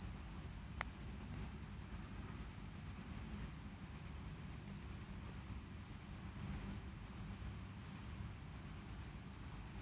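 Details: Field cricket in a natural setting, calling in a rapid, high-pitched pulsed trill that runs in long bursts broken by a few short pauses, with a faint low rumble underneath.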